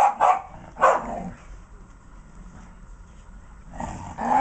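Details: Two Patterdale Terriers playing give sharp, short barks: two quick ones near the start, another a moment later, then a pause before a final burst. A low background hum runs throughout.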